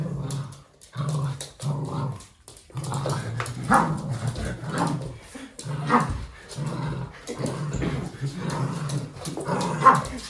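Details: Red toy poodle, male, making playful noises while playing with his owner: low rumbling growls in short bursts about every half second, broken by brief pauses, with handling rustle in the background.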